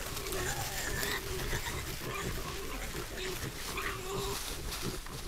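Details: On a trail camera, a herd of wild boar in a spring forest gives short, nasal, tonal grunts and squeals in quick succession over low rumbling background noise.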